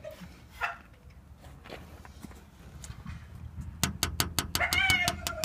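A Staffordshire Bull Terrier gives a high, falling whine among a quick run of sharp taps.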